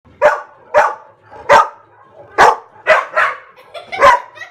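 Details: Pet dogs barking excitedly in reaction to barking sound effects played nearby; about seven sharp, loud barks at uneven intervals over a few seconds, some doubled, in a quiet room.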